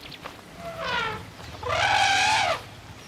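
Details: A tuskless African elephant cow, agitated by a lion pride near her herd and reacting as if she had lost a calf, gives two loud, brassy trumpet blasts, the second longer and stronger, over a faint low background rumble.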